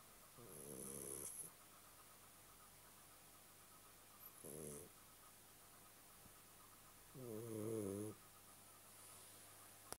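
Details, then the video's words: Sleeping house cat snoring in three harsh, buzzy breaths spaced several seconds apart, the last one longest and loudest, with a constant low electrical hum underneath. "Кот гарфилд храпит"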